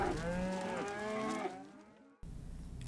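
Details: A single drawn-out cow moo, low and richly layered, held for roughly one and a half seconds before trailing off. An abrupt cut follows, leaving a faint low rumble.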